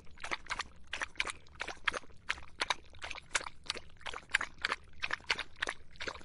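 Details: Dog drinking in the hot summer: rapid, wet lapping strokes, about three per second in a steady rhythm, each a short splashy burst, with no other clear sounds.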